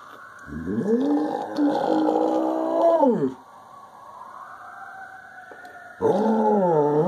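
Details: Samoyed mix, nine years old, in Lancaster Township (West), Pennsylvania, howls along with police and fire sirens: a wavering two-second howl rising then falling, a pause where a siren wail continues, then another howl begins.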